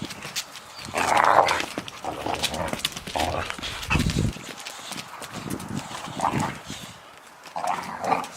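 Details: Boxer dogs fighting, with rough, harsh vocal bursts near the start and again toward the end, mixed with scuffling, thumping and clattering movement throughout.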